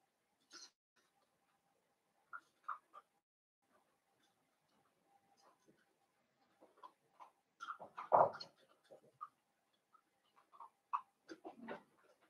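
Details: Blenheim Cavalier King Charles Spaniel puppies from a litter of five born at New Year's, in an indoor puppy pen, giving scattered short high squeaks and whimpers, sparse at first, then clustering into a louder burst around the middle and end.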